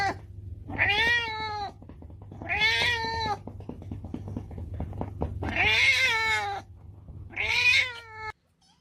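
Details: Domestic cat giving four drawn-out, harmonic meows, each about a second long and gently rising then falling, spaced a couple of seconds apart, over a steady low hum.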